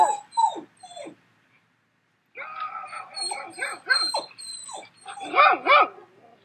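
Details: Dog barking from a recording played to a puppy: a few high, falling whines or yelps, a two-second silence, then a run of overlapping harmonic barks growing louder toward the end.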